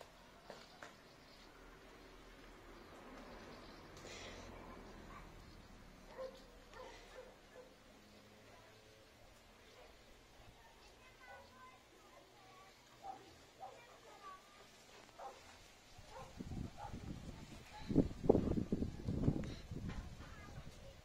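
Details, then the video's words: German Shepherd Enzo, a very active dog, bored and demanding attention because nobody is playing with him; after a long quiet stretch with faint background noise, a burst of loud, deep barks comes near the end. "GSD Demanding Attention Because He's Being Bored"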